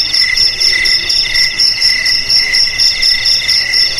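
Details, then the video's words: Continuous high cricket chirping, meant to keep rats away; metallic, slightly jingling pulsed trills in two pitches, rhythmic bursts recurring about every half second without pause. "Suara JANGKRIK Pengusir TIKUS Paling Ampuh untuk di Rumah,Garasi,Gudang,Sawah Agar Aman dari TIKUS"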